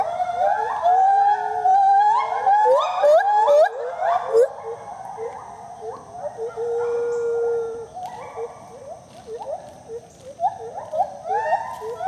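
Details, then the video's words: Speedy and Maui, a pair of gibbons at the IPPL rescue centre, South Carolina, duetting: dense overlapping rising hoots and quavering whoops in rapid runs, a long steady wail midway, then scattered upswept notes. "Speedy & Maui dueting."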